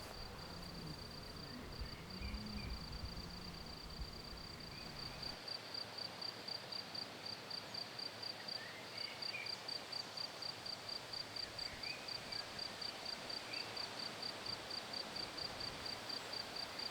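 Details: Crickets and many other small creatures singing in an organically farmed vineyard of the Boudon estate in France, where herbicides are avoided; a steady high pulsing chirr repeats about twice a second over a dense insect hum, with low rumble in the first seconds.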